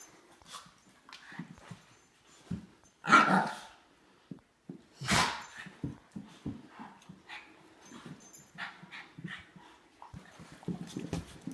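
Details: German Shepherd/Great Dane mix playing and play-fighting indoors with a Shih Tzu, recorded on an iPhone 5S; two loud sharp barks a couple of seconds apart, then growling, snuffling and scuffling.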